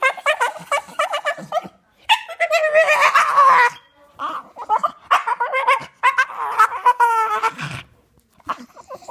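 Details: Mowgli, a male Staffordshire Bull Terrier who loves toys and sticks, gives warbling, yodel-like moans, grumbles and yowls that rise and fall in pitch, broken by short pauses, to say he wants to play.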